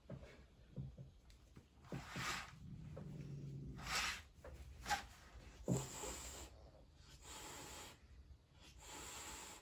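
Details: A female Turkish Van cat (Felis catus) hisses in sharp, breathy bursts with a low rumbling growl between them, angry at another cat she shares the home with.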